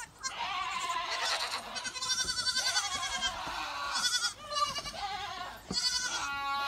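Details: Goats bleating in the rain, said to hate even a few drops; overlapping loud, wavering nasal bleats follow one another almost continuously, several voices at once with brief pauses between bursts.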